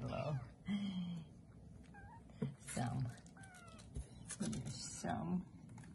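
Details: Bengal kittens three weeks old, born 13 March 2020, at play in a Kalama, Washington cattery; several brief, thin meows, some rising and some falling, come between people talking quietly nearby, over soft thumps.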